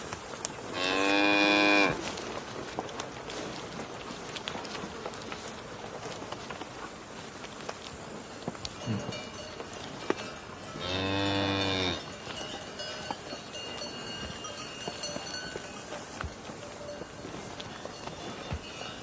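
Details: Cow lowing twice: one full harmonic moo early on, a second moo about nine seconds later, with faint ambient outdoor noise in between.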